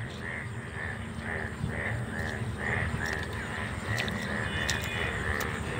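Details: Indian bullfrogs, yellow frogs said to appear about once a year, call in a chorus in an open field on a morning after heavy rain that followed hot weather, with harsh, nasal notes repeated about twice a second.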